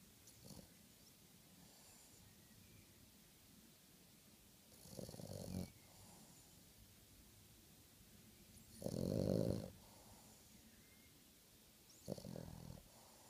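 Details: Young dog nearly six months old, asleep and snoring like a big dog; deep rumbling snores about every three to four seconds, the loudest around nine seconds, with soft breathing between.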